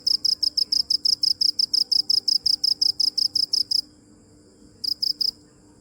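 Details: Cricket chirping: a fast run of high, sharp, evenly spaced pulses for about four seconds, then a second of quiet before a short burst of three or four more pulses.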